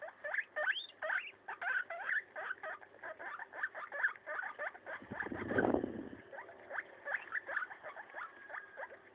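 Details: Maso, a pet guinea pig, destroying a leaf: rapid crunchy chewing and tearing noises in quick irregular bursts, with a brief louder rustle near the middle.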